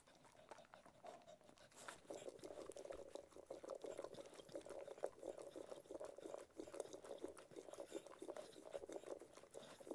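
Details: Ted, a Cocker Spaniel, eating food: dense wet smacking and lapping clicks, steady and quick, growing busier after the first two seconds, with no other clear sounds.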